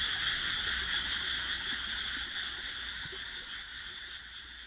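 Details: Rice paddy frog chorus at dusk beside houses, freshly planted on 1 June 2012; a smooth, unbroken massed trilling that slowly fades, without clear separate croaks.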